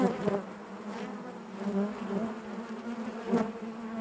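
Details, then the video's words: Inside a honey bee hive: continuous low droning hum of many bees, layered harmonics, with short louder buzzes of single bees flying near at the start and end. "bees therapy hive natural buzzing sound"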